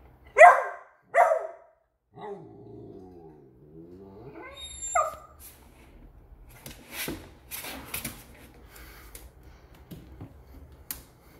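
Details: Male pet Beagle reacting to a squeaky toy indoors with two loud, abrupt barks in quick succession, followed by a wavering squeak-like tone, a high whine, then softer scuffling and handling noises.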